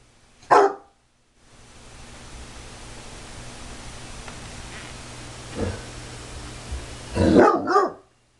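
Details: Bloodhound barking at her own reflection indoors; one sharp bark, a long hissy pause with a faint thud, then a burst of two or three deep barks near the end.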